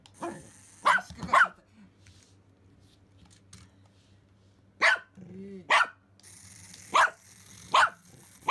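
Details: Simba the Pomeranian, worked up over a remote-control toy rat, gives sharp yapping barks, two quick ones, a pause of several seconds, then four more spaced under a second apart, over faint household hum.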